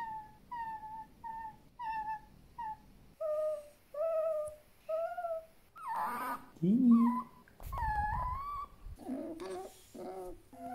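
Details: Pet fennec fox Djinn gives a steady series of short whimpering whines, about one every half second, then lower drawn-out moans and wavering squeals in a small room.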